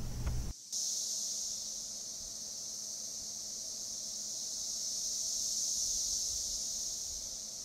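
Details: A chorus of male Cassin's 17-year cicadas (Magicicada cassini), recorded in a Kansas forest during the 2015 emergence, gathers in trees calling to attract females. Their dense, high, hissing buzz slowly swells and fades in synchronized sound cycles.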